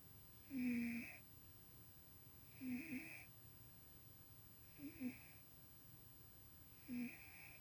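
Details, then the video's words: Pet cat Tuxie dreaming and snoring asleep indoors, a sound never heard from him before; four short wheezy snores roughly every two seconds, the middle ones breaking into fluttering, snorty bursts. "Somebody is dreaming & snoring!!"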